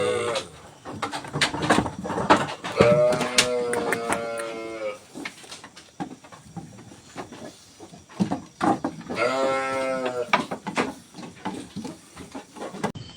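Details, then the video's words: Garut sheep in a pen being fed fresh grass, giving loud harmonic bleats around three and nine seconds, with munching, clatter and background music. "Domba Garut Adu Pakan Rumput segar di Kandang"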